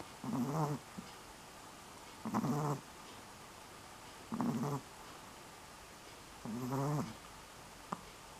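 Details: Dog asleep in October 2015, snoring steadily: four low, grating, buzzy inhalations at regular intervals of about two seconds, each short and vibrating, separated by near silence with faint room noise.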